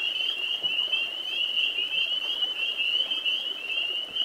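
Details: Spring peepers, tiny amphibians of wooded areas and grassy lowlands near ponds and swamps, in a spring nighttime chorus of amorous males: dense overlapping high whistles merge into a steady, sleigh-bell-like ringing band.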